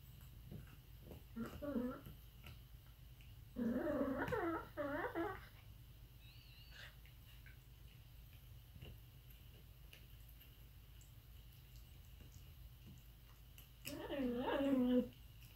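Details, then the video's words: Aardvark making three separate bursts of wavering, whining harmonic calls, each lasting about one to two seconds, with long quiet gaps of faint background hum between them. "Weird sounds from Aardvark"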